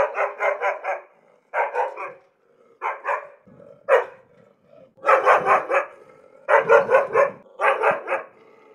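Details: Harsh, aggressive barking from an angry dog: bursts of two to five rapid barks roughly every second or so, a few single barks, faint whine underneath.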